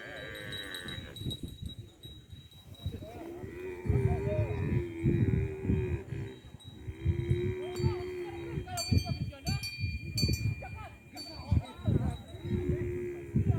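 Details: Tame, well-fed cattle roaming rice fields by a village while being herded: several long, steady moos of even pitch come one after another, with bright cowbell clinks and a distant voice.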